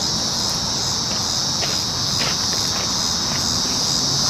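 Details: A chorus of cicadas: one unbroken, shrill, hissing drone at high pitch, holding even loudness throughout, with a few soft clicks underneath.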